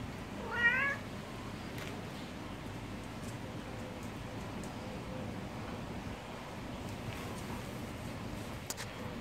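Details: A cat gives one short, harmonic meow near the start that bends upward and then down. The remaining seconds hold only a steady low background hum with faint clicks.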